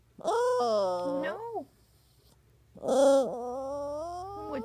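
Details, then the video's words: Poodle puppy crying in two long wavering whines, each rising then bending down, with a quiet gap between; a woman's voice asks what is the matter. "Crying talking poodle dog"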